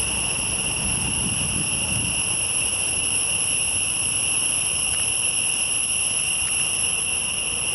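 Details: Forest insects keep up an unbroken, even buzzing whine, high-pitched with layered overtones and no pauses or changes in rhythm. A faint low rumble sits beneath.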